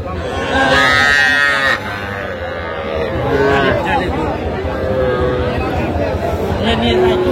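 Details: Young Sahiwal bull and heifer calves at a busy cattle market in Tangail, Bangladesh, on 7 July 2025: a loud, drawn-out, high-pitched calf moo lasting over a second, then fainter lowing amid steady crowd chatter and voices.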